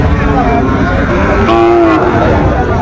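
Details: Sahiwal bull calves at the traditional Ranigonj cattle market in Dinajpur district, Bangladesh, on a Thursday market day, 4 February 2025; a drawn-out lowing moo amid steady crowd chatter and background hubbub.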